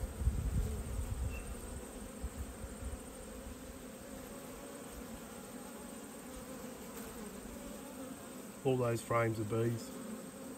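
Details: Autumn hive inspection among honey bees, one colony having swarmed and raised a new queen. A continuous humming drone holds steady, with low thumps at the start and a few spoken words near the end.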